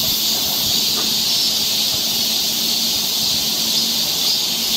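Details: Seoul forest trail in Korean summer, where cicadas keep up an unbroken, hiss-like high drone throughout, flat in loudness, with a weak low hum underneath.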